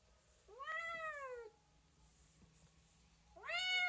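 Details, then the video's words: Domestic cat meowing: two clear tonal meows, the first long and arching, rising then gently falling over about a second, the second starting near the end, in a quiet indoor setting. "chat qui miaule | cat voice sound"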